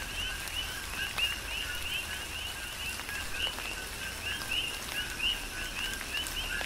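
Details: Coqui frogs calling in a chorus during a tropical rain shower on the Big Island of Hawaii: overlapping two-note chirps rising to a higher second note, repeated steadily, over constant patter of rain and raindrops.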